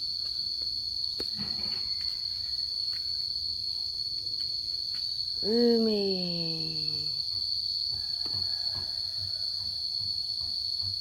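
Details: Momo, a yard cat in Laos at the start of the rainy season, fighting to defend territory: a single drawn-out harmonic yowl that slides downward over about a second and a half, set against a steady high insect drone.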